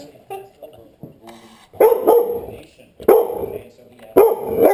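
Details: Dog barking in short, loud, rough bursts, three barks about a second apart after a stretch of softer sounds and voices.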